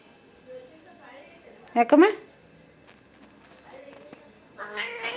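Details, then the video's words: Domestic cat in an angry mood gives one loud, strained, harmonic meow that bends upward and breaks off after about half a second, midway through. Quieter vocal sounds come before and after it, and people talk in Kannada throughout. "Cat angry mood"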